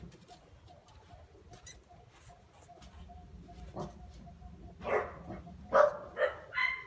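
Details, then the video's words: Phu Quoc Ridgeback puppy, 2.5 months old, a descendant of Vằn and Mowgli, showing early hunting instinct; after five quiet seconds come four short, sharp, high yelping barks in quick succession, with faint background rustling. "Chó Phú Quốc thể hiện Bản năng săn bắt từ khi còn rất sớm khi mới 2,5 tháng tuổi"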